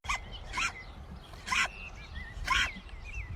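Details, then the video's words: Baby sheep on a farm sneezing repeatedly on cue: four short, sharp, broadband bursts about once a second, with faint higher bleat-like calls between them and a woman's voice saying "bless you". "this baby sheep keeps sneezing on cue"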